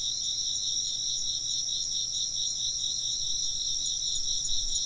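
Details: Steady chorus of insects in a Japanese ambient sound piece for sleep or work: many overlapping high, rapidly pulsing chirps forming a constant shimmering wall of sound with no pauses.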